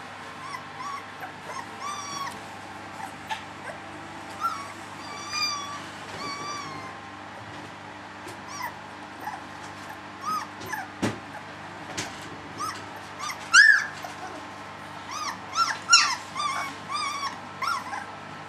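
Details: Litter of three-week-old puppies whimpering: many thin, rising and falling squeaky cries overlapping, growing louder and busier toward the end, with a constant low electrical hum underneath.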